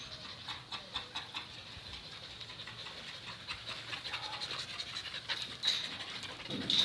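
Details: Kato, a 4.5-year-old male Thai Ridgeback who has lived almost two years in a shelter, at his first touch with a stranger: fast, breathy panting in rhythmic bursts, with scattered higher clicks and rustles toward the end.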